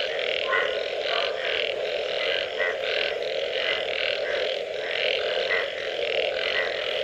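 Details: Frogs in full chorus following rain, a thick steady drone overlaid with rhythmic croaking bursts and a few higher, sharper notes repeated roughly once a second.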